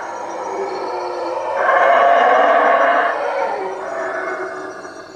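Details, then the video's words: Howler monkeys calling after dark in the trees above a hut at Lake Peten Itza, Guatemala; a low murmur builds into a loud, gravelly roar lasting over a second, then eases back to a softer drawn-out howl. "Howler monkeys at night"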